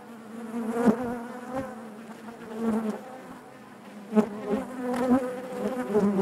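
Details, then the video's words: Inside a honey bee hive: a continuous droning buzz of many bees, low and harmonic-rich, with short louder surges as single bees pass close. "bees therapy hive natural buzzing sound"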